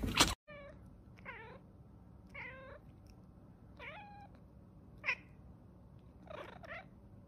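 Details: Soft, short cat mews repeated roughly once a second in a quiet room, some with a bent, rising-falling pitch, after a sharp loud knock at the start.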